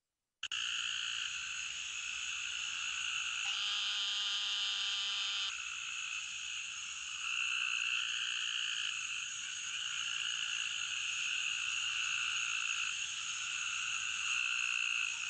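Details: Eastern narrow-mouthed toad in Arkansas giving a continuous high nasal buzz, a dense steady drone that runs nearly unbroken through the whole stretch, with a brief band of evenly stacked tones in the middle.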